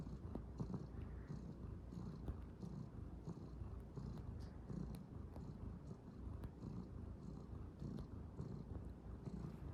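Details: Calico kitten kneading a futon, purring steadily: deep, even rumble pulsing in a regular rhythm throughout, with light soft rustles from paws on the bedding.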